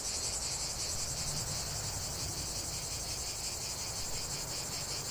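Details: Loud, unbroken shrilling of cicadas, a bright metallic buzz that throbs rapidly and evenly, with soft low-frequency background noise.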